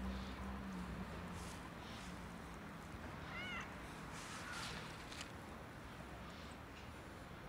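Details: In freezing winter weather, a cat struggling outdoors for warmth lets out a single short, rising-then-falling meow midway through, over a constant low rumble and outdoor noise.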